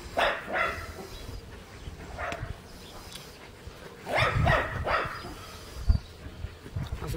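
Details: Scottish terrier puppy and a puli playing together, with short barks and yips in bursts around the start, middle and near four to five seconds, mixed with scuffling and a human voice.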